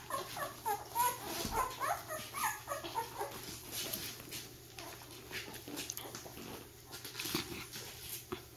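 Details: Vizsla puppies, ten days old, making first steps in a small room: high squeaky whimpers cluster in the first few seconds, then fade into shuffling, scratching and rustling noises with a faint low hum.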